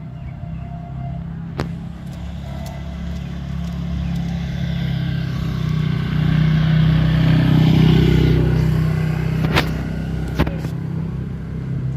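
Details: Outdoor road noise of passing vehicles with a steady engine hum and a few sharp clicks, no animal calls.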